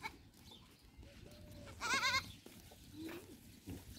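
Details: Goats at a large-scale goat farm: one short, quavering bleat with a wavering tone lasts about a third of a second, set against low, steady farmyard background noise.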